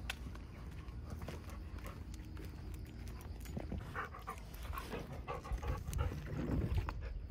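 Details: Ten-year-old female Golden Retriever during pool season, panting in quick, rough, breathy puffs at roughly four per second over a steady low rumbling background.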